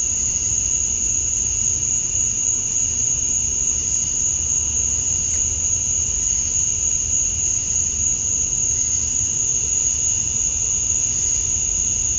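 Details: Cicadas at dusk on a summer night in Georgia, USA, males chirping to attract females; an even, sustained shrill drone with a softer lower band, no pauses or rhythm changes, over a quiet low background murmur.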